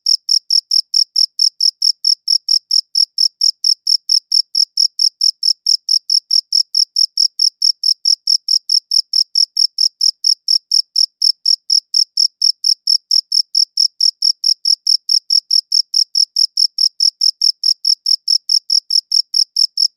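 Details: Crickets chirping continuously, an unbroken train of rapid, evenly spaced high-pitched pulses, roughly four to five per second, for twenty seconds against an otherwise silent background.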